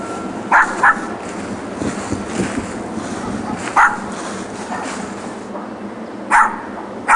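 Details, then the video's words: Neighbouring dogs left alone all day in a back yard while their owners are out, yapping on weekdays from 9am to 6pm in 2006; sharp barks, a quick pair, then single ones spaced seconds apart over steady background hiss. "Barking Dogs"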